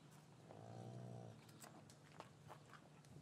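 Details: Short, deep lowing from cattle in an English farmyard on a winter afternoon after the calves were separated from their mothers; one brief harmonic moo near the start, then shuffling and knocking sounds over a low constant hum.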